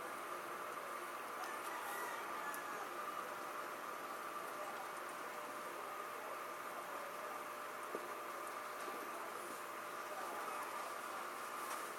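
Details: Even broadband hiss with a steady mechanical hum runs throughout, and no animal sound is present.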